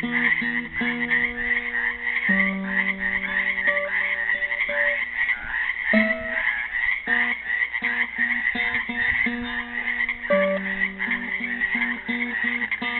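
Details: Trapped frogs in a pool at Helix, Oregon, Earth Day 2016, produce an unbroken chorus of rapid, buzzy, pulsing croaks, while a classical guitar plucks a slow improvised melody beneath them.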